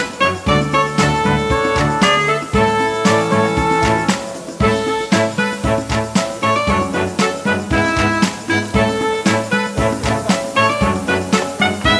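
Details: Upbeat swing-style instrumental music with brass and plucked strings, a steady bouncing beat and no animal voices.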